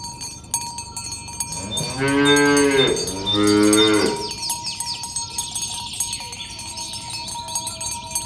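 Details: During morning herding of tame cows to the pen on a village road, two strong moos follow back to back, each about a second long, then cowbells ring and rattle for the rest of the recording.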